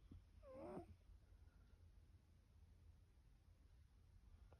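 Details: Pip the cat snoring in sleep: one short wheezy snore with a thin squeaky whistle on the breath, then a quiet room.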